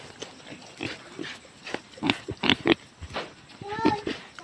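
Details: Farm-raised native pigs in a grower pen give short, rough grunts in scattered bursts, with a brief higher, tonal squeal near the end, mixed with human voices talking in the background.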